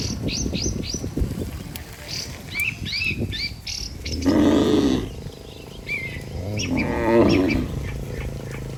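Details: Healthy domestic cattle moving together as a herd toward the barn, tended by a herder: two broad, low moaning moos in the middle and later, with rapid high bird chirps and twitters throughout, especially at the start.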